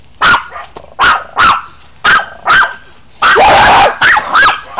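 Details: Mexican Chihuahua barking while a friend teases it: sharp, high yappy barks in quick pairs and triplets, with one longer, harsher burst of barking in the middle.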